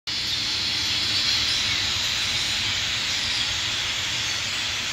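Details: Cicadas in a backyard hollow in Athens, Ohio, on 27 August 2013 fill the air with a steady, high, hissing drone that never breaks, a massed chorus with faint bird notes barely showing through.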